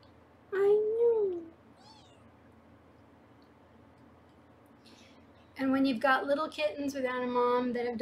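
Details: Foster kitten at a live 24/7 kitten cam in Los Angeles, indoors while the kittens are weighed and a new play center is set up: one drawn-out meow bends up then down, a pause, then a woman talks.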